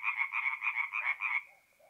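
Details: Tree frogs calling by night from a forest pond in north-east Italy, mid-April; a quick string of about eight sharp, nasal croaks lasting just over a second, then trailing off into quiet.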